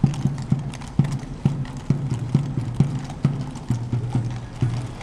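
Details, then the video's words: Police horses walking on the Grote Markt in Brussels; steady clip-clop hoofbeats, roughly two per second, clear sharp knocks over a low continuous rumble of the square. "politie te paard op Grote Markt van Brussel"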